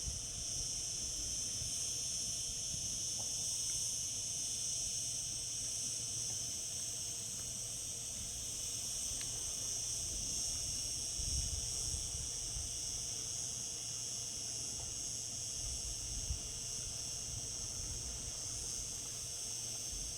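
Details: Cicadas singing in summer: a steady, dense, shrill buzzing drone held without pause, strongest in the high range, with faint low rumble beneath.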